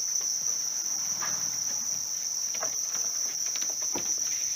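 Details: House crickets kept for raising, a steady unbroken high-pitched trill holding one even tone throughout, with scattered rustling and tapping handling noises.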